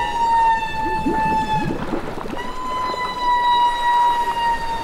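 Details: Humpback whales bubble-net feeding on herring in southeast Alaska in summer, a dozen working together; a long, steady, haunting tonal call with stacked harmonics holds through, with a slight rise halfway and rustling underneath.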